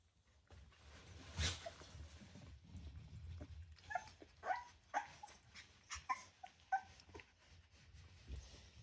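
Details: Rottweiler puppies, a litter of ten at 24 days old, beginning to play with littermates; a run of short, high yips and whimpers comes roughly every half second in the second half over steady low rumbling movement noise.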